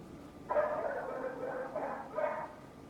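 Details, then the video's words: A neighbour's dog barking from a distance, two drawn-out, hoarse barks over a faint background hum, the second shorter than the first. "Neighbor's annoying dog noise"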